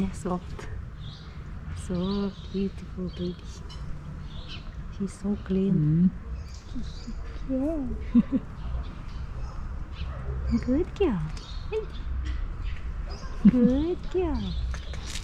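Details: Two affectionate stray cats on a crowded 'cat street' blind alley in Istanbul, competing for attention and love: a run of short, bending meows and chirruping trills, some rising then dropping, scattered over a steady low background rumble.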